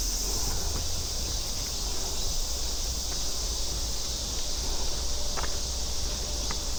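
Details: Cicadas and grass crickets in a forest trail on Namsan, Seoul, keep an unbroken, high shimmering drone at one pitch, with scuffing footsteps and a soft outdoor rumble beneath.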